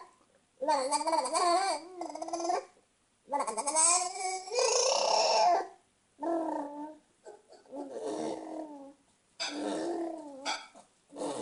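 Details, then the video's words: Crazy noises from Luca the cat: a series of wavering, yowl-like harmonic calls of one to two seconds each, separated by short silences, some bending up and down in pitch, others rougher and breathier. "Our Luca making crazy noises"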